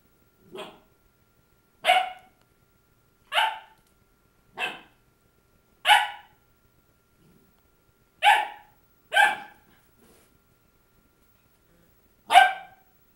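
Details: Labradoodle puppy Krystal, filmed January 6, 2009, yapping at her mirror image: eight bright, clipped barks spread unevenly, a quieter one first, then gaps of one to three seconds, with a long pause before the final bark.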